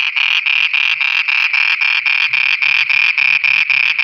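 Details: At night in Pakistan, a frog sings a rapid series of loud, buzzy, rasping pulses, about four each second.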